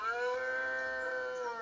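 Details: Male red deer bellowing during the rut in the Cantabrian mountains of Spain, mid-September to early October, competing in power and pitch to attract females: one sustained, harmonic-rich, moaning roar lasting over a second.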